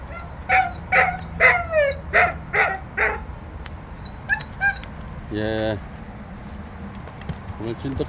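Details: Jindo dogs outdoors the morning after rain give short, high, whining yelps with downward-sliding tones, about one every half second. They are followed by softer yips, a brief buzzy human voice, and scattered faint calls.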